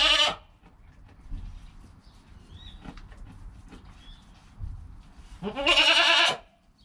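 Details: Newborn goat kid, less than an hour old, with its calm mother nearby: two bleats, a short one at the start and a longer wavering one near the end, separated by quiet rustling.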